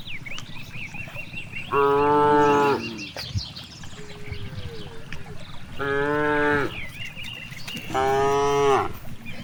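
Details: Grazing cows in a vast green rice field moo three times, each call about a second long with rich bright harmonics, separated by gaps of rustling, faint chirps and low background noise.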